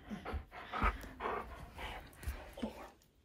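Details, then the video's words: Male husky crying with joy on realising his owner is almost home, caught on hidden camera indoors: a run of short, breathy whining bursts roughly every half second with panting between, ending in a sharp knock. "Husky CRIES With JOY When He Realises I’m Almost Home!"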